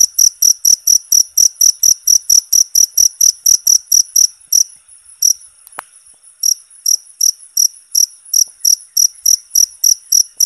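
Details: Cricket sound for songbird training: rapid, high, ringing chirps in a steady run, broken by a pause of about two seconds midway before the pulsing resumes.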